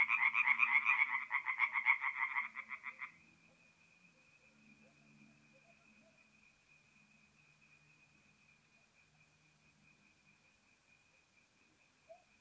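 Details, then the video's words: Tree frog calls close by at a north-east Italian forest pond on an April night: three seconds of fast, loud pulsed croaking that breaks off abruptly, leaving a thin steady high tone and quiet night background. "relaxing forest pond by night with singing tree frogs"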